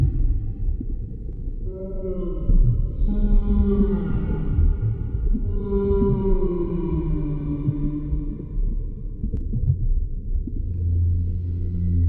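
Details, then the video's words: Humpback whale singing underwater: a sequence of drawn-out, harmonic moans that swell and slide downward in pitch, followed by a deep rumbling tone near the end, over steady low water noise. "Underwater Whale Sounds - Full 60 Minute HUMPBACK Whale Sounds"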